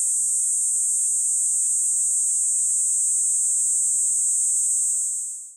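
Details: Kaempfer cicada singing beside a walkway on a commuting route as summer approaches: one unbroken, very high, hissing buzz held steady at even loudness for over five seconds, then fading quickly at the end, with no other clear sounds.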